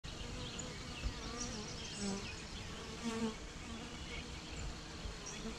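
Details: Honey bee swarm giving a dense, continuous droning buzz, a steady low hum with overlapping higher whines from individual bees passing close.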